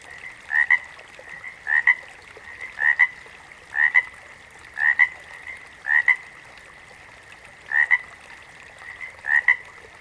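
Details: Frog giving a steady run of eight doubled croaks, each a rapid two-pulse note, repeated roughly every second against a continuous high, thin background drone.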